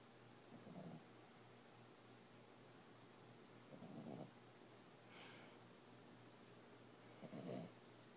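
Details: Boxer pup aged 14 weeks, asleep, giving faint rasping snores roughly every three seconds, each a short low breathy burst, one softer hiss between them, over a low constant background hum.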